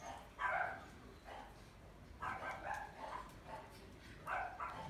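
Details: Male puppy with wheat-and-white coat, wearing a ribbon, from a breeder: short, soft barks in bursts roughly every second, some doubled, fairly quiet against a faint background hum.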